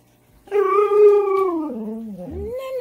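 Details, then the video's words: Manson, a pet Siberian husky, 'talking' and arguing indoors at one in the morning: one drawn-out howling vocalisation, a steady harmonic tone that sags gradually lower, then rises in a short upturned 'woo' at the end. "husky talk"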